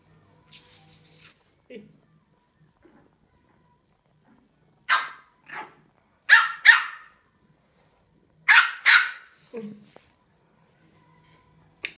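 A Yorkshire Terrier puppy lets out thin, high-pitched yaps and squeaky barks, sometimes in quick doubled bursts. A woman's quiet voice comes in between them.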